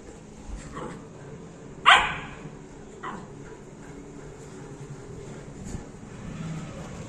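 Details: A 61-day-old Labrador Retriever puppy lets out one loud, sharp bark followed a second later by a fainter short yelp, with quieter yips and room hum around them.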